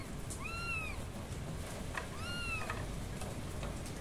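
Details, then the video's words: Kittens meowing loudly: two clear high-pitched meows, each a rising-then-falling whine with bright harmonics, about two seconds apart, over a steady low rumble of background noise with scattered clicks. "Kittens meowing loudly"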